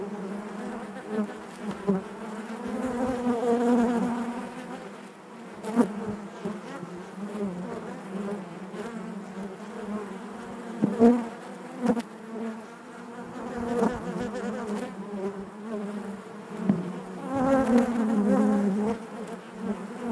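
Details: Massed honey bees humming in the hive, a thick low buzz that pulses louder and softer, punctuated by brief knocks and sudden close-by wing bursts.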